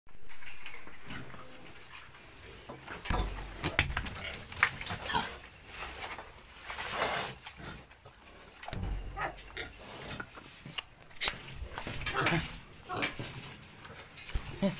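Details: Landrace × Duroc cross piglets giving short, rough grunts and squeals in irregular bursts, busiest in the middle stretch, with rustling and handling noises throughout.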